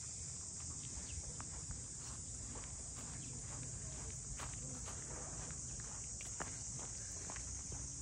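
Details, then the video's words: Shrill, unbroken droning of cicadas at Ine no Funaya, the port house townscape north of Kyoto, Japan, with a rhythmic patter of footsteps and light ticking sounds throughout. "cicadas voice"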